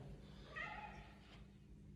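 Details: Domestic cat indoors, arguing to be let out into the yard for a walk: one short, fairly level meow with clear stacked harmonics, mid-pitched, lasting about a third of a second in a quiet room, then a soft click.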